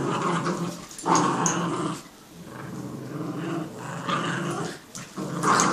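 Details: Playful tug of war between a Jack Russell and a Yorkie, with steady throaty growling that surges loudly near the start and end, interrupted by short pauses and light clattering.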